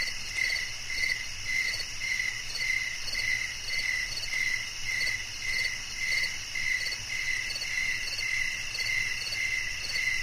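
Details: A cricket calling in a relaxing nature recording for sleep, its crisp high chirps repeating in an unbroken rhythm of about one every half second, backed by a persistent shrill drone and faint low rumble.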